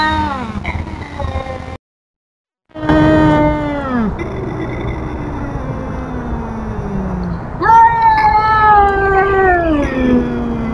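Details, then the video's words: Intruder confrontation by Tubs the feral cat: long descending yowls broken by a short silence, resuming as slow, sagging wails with a sharper rising cry near the end. "Tubs The Feral Cat Tells Off An Intruding Cat!"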